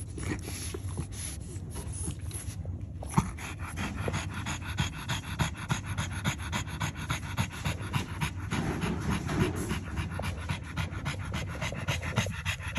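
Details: French Bulldog with a litter of nursing newborn puppies, rapid rhythmic panting breaths at roughly three to four per second, steady throughout, with a soft constant background hiss.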